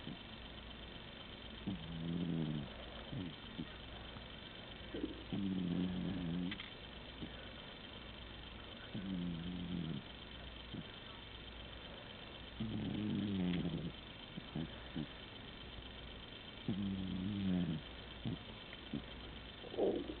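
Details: ['Domestic cat deep in sleep, snoring steadily: a run of low, throaty, vibrating snores, each lasting about a second and recurring every three to four seconds, with soft breaths in between.']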